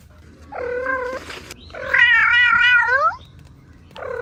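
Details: Kitten playing with its mother cat and two siblings gives loud, drawn-out meows: a steady wail, then a longer wavering one, then a third beginning, with soft rustling between them.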